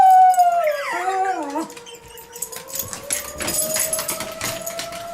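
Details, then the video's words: Pet Schnauzer howling along with the monthly tornado warning siren test: a wavering, sliding howl with rich harmonics for over a second, then the siren's steady tone continues under rustling noise. "Dog Howls at Tornado Siren"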